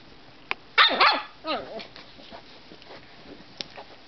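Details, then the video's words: Petal, a pet dog, slightly grumpy and tired before a nap: a few short, harmonic moaning whines that bend up and down over about a second, followed by quieter scattered clicks and soft sounds. "Petal sliglhty grumpy and tired making noises before nap"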